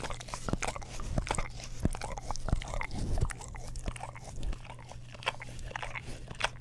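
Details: English Cream Golden Retriever indoors licking an Orapup tongue cleaning brush beside a Blue Yeti stereo microphone; close wet smacking and clicking licks at an uneven pace, about one and a half per second, over a steady low electrical hum.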